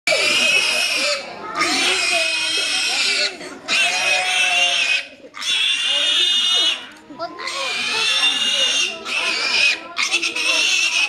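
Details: Pigs at a farm in the morning squeal in loud, shrill bursts of a second or two, separated by brief pauses.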